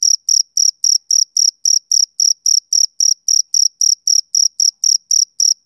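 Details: A male cricket chirps on a summer evening, giving crisp, high, tonal pulses in a quick, even rhythm of about four per second. Nothing else is heard.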